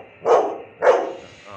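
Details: Labrador Retriever dog giving two short, deep barks about half a second apart, each a brief loud burst, with quiet background between them.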